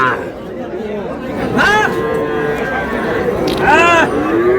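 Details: Bulls and heifer calves traded in Faridpur on 15 May; two short arching bawls two seconds apart stand out above constant market chatter, followed by a rising moo at the end.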